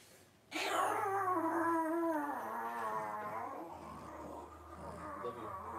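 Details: Three-week-old blenheim Cavalier King Charles Spaniel puppies, a litter of five, wrestling and playing in their puppy pen. One long wavering whine-howl starts abruptly, slides downward, then fades after about three seconds over a faint steady hum.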